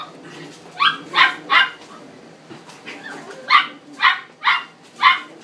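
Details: Male cream-coloured Chihuahua born 7 April 2016 at a pet shop, giving high, sharp yapping barks in two bursts of three and four, with a low steady hum in the background.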